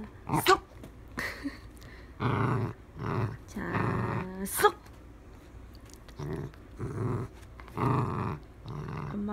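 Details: Playful Dachshund gives several harsh, low, buzzy growls, each lasting under a second, separated by pauses, while a person speaks nearby.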